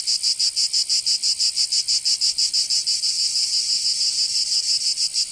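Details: Summer song of cicadas in Provence, in the south of France: sharp pulsed buzzing repeated about three times a second, merging into a smoother sustained whine in the second half.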